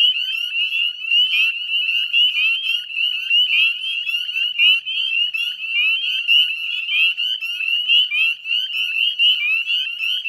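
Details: Massed northern spring peepers at dusk in mid-May beside a Nova Scotia salt marsh at Chezzetcook, Canada; a thick tapestry of piercing, upward-sliding peeps from numerous frogs, rising and falling slightly in loudness throughout.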